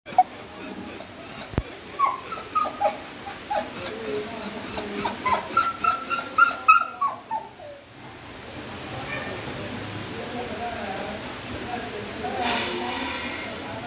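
A beagle gives a quick run of high, whiny whimpers and yelps, several each second.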